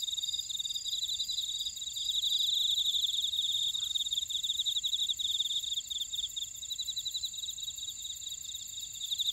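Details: Buckwheat-field insects at Ora-dong, Jeju, South Korea, fill the air with shrill continuous trilling and quick pulsing chirps, one pulsed voice swelling louder midway while the high steady buzz carries on beneath.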